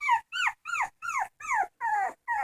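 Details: Crying dog giving repeated high whimpers, seven bending whines that slide downward, about one every third of a second, clear and close, in a quiet room.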